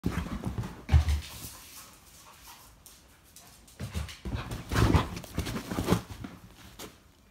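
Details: Hyper Vizsla dog, excited and active: loud, rough panting breaths and snorts in uneven bursts, with thumps and scuffling movement noises in between.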